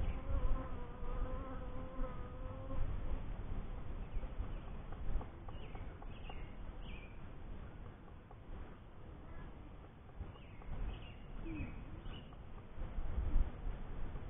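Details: A first hive of honey bees hums in a deep continuous buzz, with a short bird-like whistle early on and faint chirps in the background.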